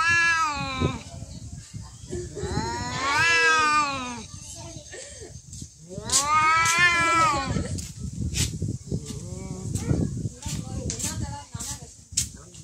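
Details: Fighting cats trade drawn-out caterwauls, two long quavering howls that climb and sag in pitch, separated by scuffling, sharp clicks and people talking in the background.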